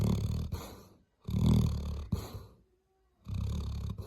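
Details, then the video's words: Labrador Retriever snoring, with heavy throaty rumbling snores in bursts separated by brief silent pauses. "лабрадор храп"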